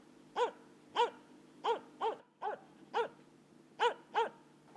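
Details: Barking Finnish Spitz, the Finnish national hunting breed, with nine bright, resonant yelps spaced about half a second apart, a couple falling in quick doubles, over a soft constant low hum.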